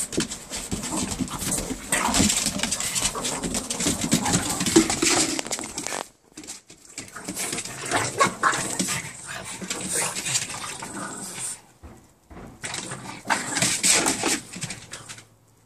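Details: Two Boston Terriers play fighting on patio furniture, with rapid huffing growls, snorts and scuffling in bursts.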